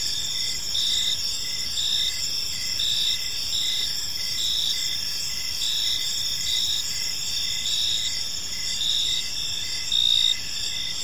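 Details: Park crickets at dusk: continuous high-pitched trilling from many insects, punctuated by evenly spaced short chirps, slightly louder burst near the end, soft ambient hum underneath.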